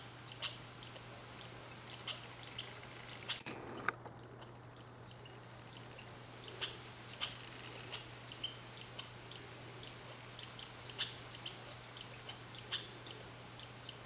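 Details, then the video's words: Red squirrel (Sciurus vulgaris) recorded on 15 July 2020 at Saint-Calixte, Lanaudière: a steady series of short, very high squeaky chips, repeated roughly twice a second, with a faint low steady hum underneath. "Le chant de l'écureuil roux"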